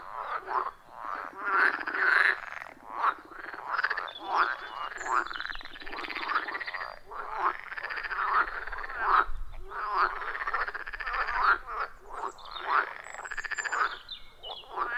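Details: A loud, rhythmic chorus of wild frogs around a forest pond, recorded on a phone with a clip-on microphone: dense, continuous overlapping croaks and short rasping calls from many frogs, with no music or voices.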